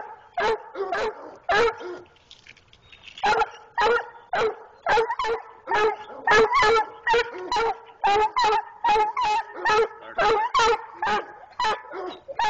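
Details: A young dog, six months old, keeps up a long, rapid barking bout of around twenty short, sharp barks. The barks come faster and closer together toward the end.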